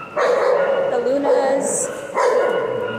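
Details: Pet dog talking, giving long, tonal, wavering whine-howls in two drawn-out bursts, with a brief faint human voice between them.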